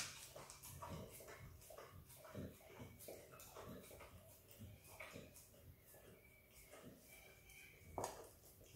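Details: A happy Kelpie x Border Collie puppy named Izzy eating peanut butter, with rapid wet licks and tongue smacks in uneven clusters and one sharper louder smack near the end.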